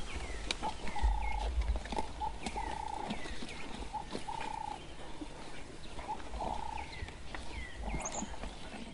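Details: African wild dog pack feeding frantically on an adult male impala killed by Jiggy, mass excitement at the big kill; high squealing whines held about half a second, repeated irregularly, mixed with short chirpy rising squeaks over low rumbling.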